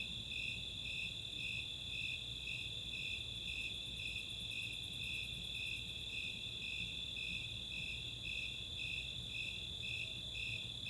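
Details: Summer night chorus of Snowy Tree Crickets and Four-spotted Tree Crickets in the open space of Chautauqua, Boulder, Colorado: steady rhythmic chirps about twice a second over a continuous high, shrill trill, with a faint low background hum.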